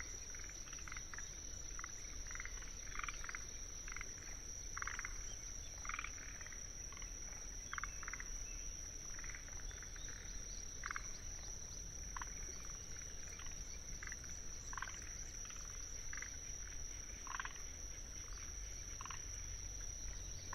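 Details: Chorus of forest green tree frogs in a Tsuruoka, Japan wetland on 19 June 2021, recorded with paired microphones: many short, knocking rattles overlapping irregularly throughout, with Kinhibari crickets trilling steadily high above.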